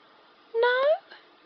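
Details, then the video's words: Chloe, a black cat presented as a talking cat, answers between her owner's questions with one short, smooth, gently rising meow. The meow is clearly voiced with rich overtones over a quiet background. "Cute talking black cat"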